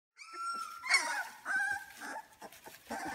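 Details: Two-week-old British Labrador Retriever puppies from a litter of six born May 7, 2016 (three black males, one black female, two yellow males), giving high, drawn-out squealing whines with rising and falling pitch, several overlapping, indoors.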